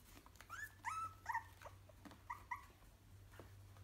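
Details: Three-week-old Yorkshire terrier puppy indoors makes a run of short, thin whining squeaks, about five brief rising-falling whimpers over two seconds, then quiet, with a steady low hum and light rustling behind.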